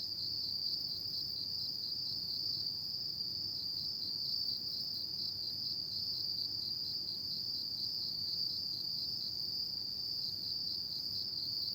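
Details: Steady shrill trilling of autumn insects at night fills the whole stretch at a constant high pitch, unbroken and level, with only a dim low hum behind it.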